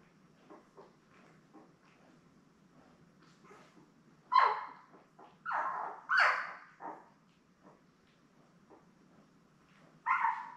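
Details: Litter of seven newborn Labrador Retriever puppies with their mother Belle, born May 24, 2021, filmed indoors on a live puppy cam; quiet background whimpers broken by loud squealing yelps in a burst of three, then another after a pause.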